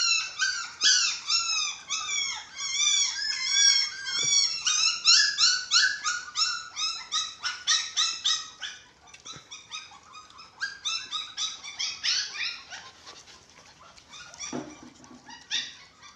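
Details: Six-week-old dachshund puppies at feeding, a white Japanese Spitz among them, squeal busily in high, bending whines for the first half, then calls thin out into scattered softer squeaks.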